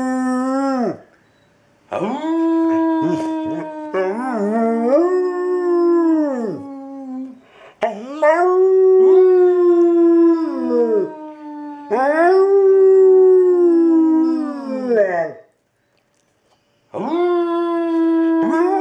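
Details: Fully grown 60-pound male Labrador Retriever in foster care awaiting adoption, giving a series of drawn-out howls, each swelling then sliding down, separated by brief pauses and occasional short yips.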